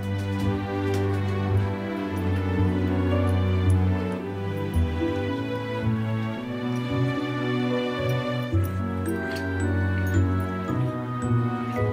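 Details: Gentle, tender instrumental music plays steadily, with no animal voice.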